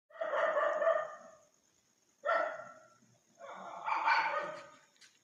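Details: Dogs barking loudly at a stranger in the street: three harsh, rough bursts of barking about two seconds apart, the last one longer and louder, with a faint steady high hiss behind.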